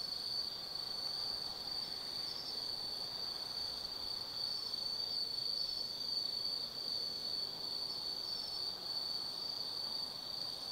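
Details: On an autumn night in the forest at Tsukimi no Mori, Kaizu, Gifu, insects keep up an unbroken, high, metallic trill, steady in loudness throughout, with a fainter even higher tone above it.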